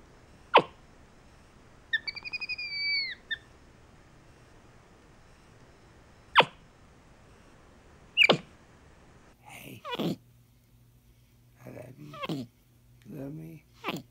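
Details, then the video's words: Pet capuchin monkey MonkeyBoo communicating with his owner indoors: a pair of clear whistled tones, steady then falling, followed by sharp clicks and short rising chirps spaced by silences. "Capuchin Monkey Talking Compilation!"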